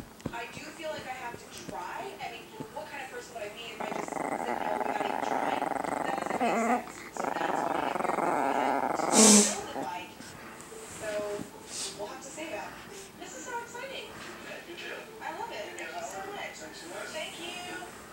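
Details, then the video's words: Small pet Chihuahua named Chiquita in a nightly play game over her toy at home, growling in long rumbling stretches through the middle of the clip, with a woman talking to her and a sharp sudden noise. "Attack Chihuahua Chiquita"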